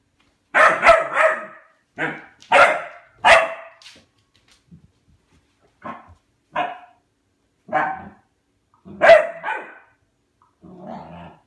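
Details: A pet dog barking at his food bowl for food indoors in a small room: bursts of sharp barks, several in quick doubles and triples, spaced about a second apart with short pauses.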